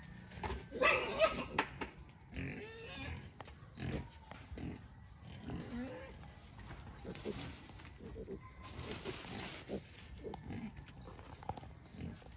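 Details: Native black pigs on a free-range farm in Albay give a loud burst of squealing and grunting early on, then scattered shorter grunts over talking voices and a steady high electrical whine.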